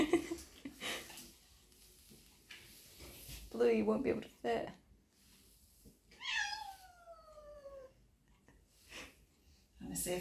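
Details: Meow of an 8-month-old Perdoll kitten, one of two littermates at the vet clinic for neutering surgery: a single long drawn-out call sliding steadily downward for nearly two seconds, with people talking and handling noises indoors around it.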